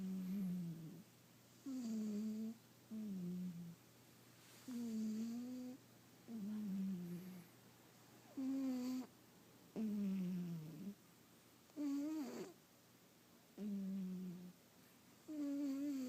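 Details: Domestic cat sound asleep, snoring in a steady breathing rhythm: a string of short, droning, slightly wavering tones, each under a second, repeating roughly every one and a half to two seconds in a quiet room.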